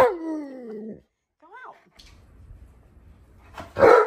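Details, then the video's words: An Alaskan Malamute named Tonka throws a tantrum at home as breakfast cools. A falling, drawn-out whine is followed by a short rising-falling whimper, then a sharp burst of sound, with a person speaking nearby. "Worlds Most Impatient Dog Throws Epic Tantrum"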